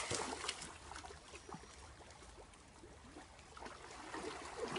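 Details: Soft outdoor rustling and trickling noise with faint murmurs, and no barking or other animal calls.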